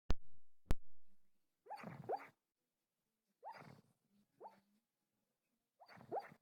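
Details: A male dog barking in his sleep: soft, muffled woofs and puffs in short bursts of about half a second, spaced irregularly, after two sharp taps at the start, in a quiet room.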